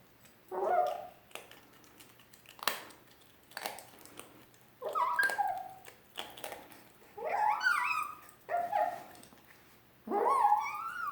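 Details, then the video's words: Pet dog protesting over her food, producing a series of short, quieter whining yips and rising squeaky cries spaced about a second apart in a small indoor room. "Eevee makes Fennec noises"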